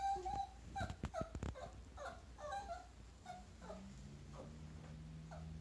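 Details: A Chihuahua meeting a chinchilla gives quick, high, nasal whimpering yips, each brief and slightly wavering, in an uneven string, with faint sharp taps or clicks and a low steady hum underneath.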